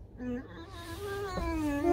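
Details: Alice the pet fox whining while waiting for food: a long, slightly quavering moaning tone that slides gently up and down and then climbs at the end, with faint background music.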